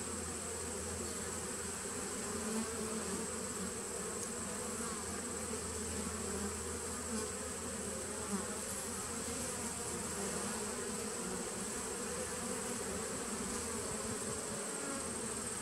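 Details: Honey bees at a nucleus colony dated 19 September 2018, a steady low hum with a dense hive drone around the lower register holding unbroken for the whole stretch, plus a faint constant high whine.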